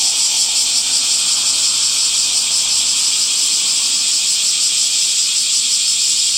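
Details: Cicadas singing on a summer day, a continuous sizzling high drone with quick, slightly uneven throbbing, plus a faint low rumble in the opening seconds that fades out.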